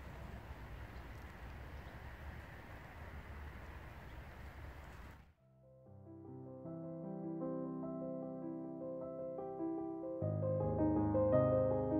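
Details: Broadband hiss gives way after five seconds to gentle piano music that gradually swells, with no animal sound.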